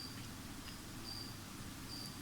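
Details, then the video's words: Feeder crickets kept indoors, heard in the background: faint, thin, high chirps at irregular intervals, some short and some drawn out, over a steady room hum. "On entend les grillons derrière."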